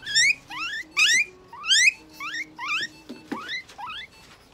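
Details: A guinea pig at a Nagoya veterinary clinic, during treatment with eye drops, an injection, light therapy, moisturizing and brushing, gives loud, rising squeals with harmonics, repeated in quick bursts.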